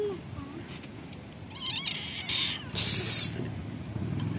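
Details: Hungry cats and kittens living at a pagoda call while being fed; a few faint, wavering meows, then a loud hissing burst of noise, over a low background rumble.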